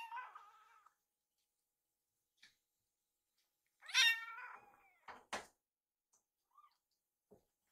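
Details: Two rescued baby kittens in a home kitchen beg for food as their carer prepares warmed wet food. A long wavering meow, then a loud rising meow that falls away, followed by short knocks and clatter.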